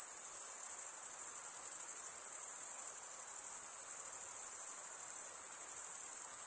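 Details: A steady chorus of chirping crickets: a piercing, very high trill made of fast tiny pulses, seamless and even in volume, with a faint hiss underneath and no other animals.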